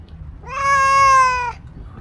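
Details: Stray black-and-white cow cat approaching a person, giving a single sweet, drawn-out meow about one second long, clear and steady in pitch with a slight fall at the end, over faint low background hum.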